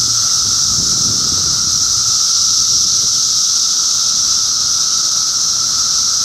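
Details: June 2013 cicada activity in Middlesex County, New Jersey: an intense wall of high, hissing buzz with a sustained droning tone below, unchanging and continuous.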